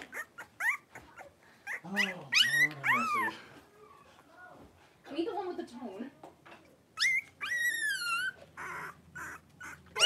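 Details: Three-week-old blenheim Cavalier King Charles Spaniel puppies, a litter of five born on New Year's, wrestling and playing in their puppy pen; scattered rising and falling whines and yelps with quiet gaps, possibly with a human voice mixed in.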